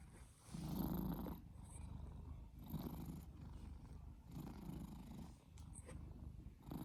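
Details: Male house cat snoring while asleep, a habit he has all the time: soft, low rumbling breaths swelling and fading in a steady cycle about every one and a half seconds, with faint hiss between breaths.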